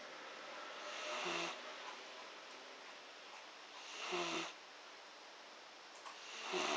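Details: Pet dog snoring while asleep with its eyes open: soft, breathy rasping snores, one roughly every three seconds, each swelling briefly and fading, in a quiet room.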